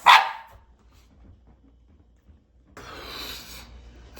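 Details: Shiba Inu at home in a small town in the Canadian Rockies, carefully checking its birthday balloons, gives one sharp, loud bark at the start, then falls quiet before a soft hissing noise rises near the end.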